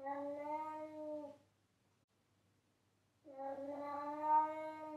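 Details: Pet cat calling loudly: two long, level meows, each over a second long, with a smooth harmonic tone and a short silent pause between them. A soft low hum sits in the background.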